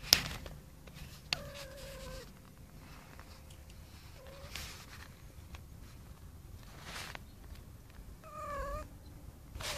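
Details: Tomcat calling a female cat: a flat, drawn-out meow early on and a shorter, slightly rising meow near the end, separated by quiet hiss and a few sharp knocks.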